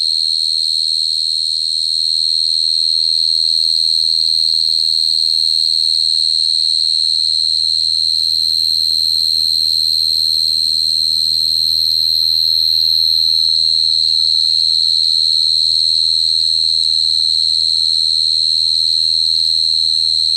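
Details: Long, constant cricket song, a shrill single-pitched ringing trill that never pauses, with a steady low drone in the background.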